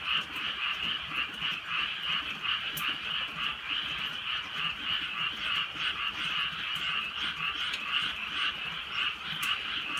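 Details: Frogs croaking in the countryside at night during light drizzle; a dense, continuous chorus of overlapping raspy croaks with a steady pulsing rhythm, occasional sharp clicks above.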